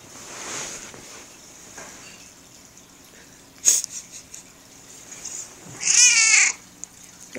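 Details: Sixteen-year-old female house cat named Ishe, hungry and wanting food, indoors near the kitchen. Quiet room tone and a sharp click come first, then one loud harmonic meow near the end with a wavering, bending pitch.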